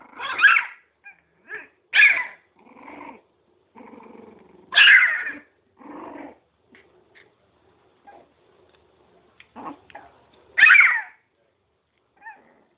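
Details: Playing miniature pinscher puppies trade loud, sharp high yaps spaced a few seconds apart, between low rumbling growls and small squeaky whimpers, with quiet gaps.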